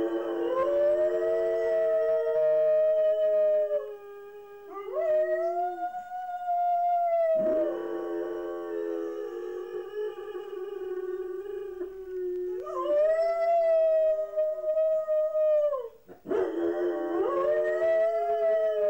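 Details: Home-alone dogs Mouse and Fox howl together, filmed on a Hi8 camcorder left recording while the owners went shopping; long drawn-out tonal howls in two voices, breaking off and restarting several times with rising scoops.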